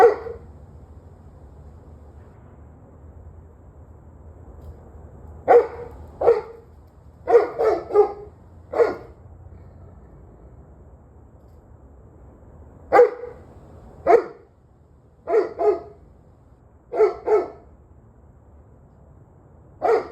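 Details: Dog barking, recorded 11/21/23 at 7:06 pm: sharp barks come in short volleys of one to three, separated by quiet pauses of several seconds, over a low steady background hum.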